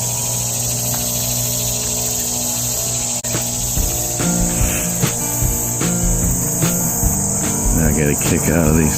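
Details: Many annual cicadas call together in a loud, steady high-pitched buzzing drone around a lakeside campsite on a hot August morning, with brief human voices.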